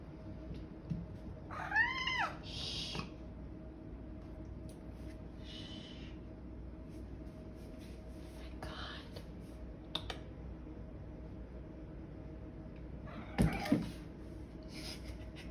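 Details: A pet cat acting wild at bedtime gives two arching, rising-then-falling meows, one near the start and one near the end. Long quiet stretches between them hold only a steady low room hum and a few soft rustles.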